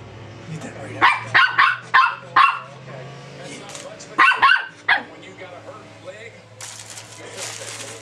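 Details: Pet dog barking at a burrito from a fast-food restaurant; a quick run of four sharp barks, then a pause and three more, with low household hum beneath and a burst of broadband noise near the end.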